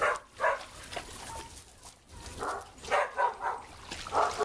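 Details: Big dogs romping in a pool, recorded 6/8/11; short, punchy barks fire in quick clusters, several in the final two seconds, with quieter splashing between them.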